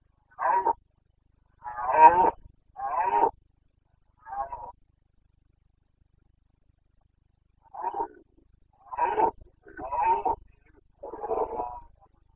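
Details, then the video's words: Carpathian red deer stag roaring in the Bucovina mountains during the rut (boncănit), 29 September 2022: eight loud, throaty, groaning bellows in two bouts, each under a second long, separated by a pause of about three seconds. "Boncănit / Carpathian stag Breeding season"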